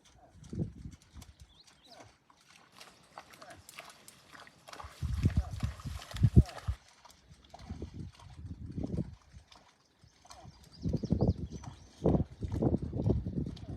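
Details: In a Wyoming back yard, a moose calf separated from its mother by a fence gives low, breathy grunting calls in short bursts to keep her close.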